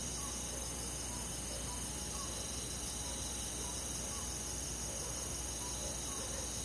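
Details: Crickets and other insects chirping on a summer night in a rural forest, a dense, continuous high shimmering chorus with steady sustained tones and soft pulsing chirps repeating beneath, over a constant low broadband hiss.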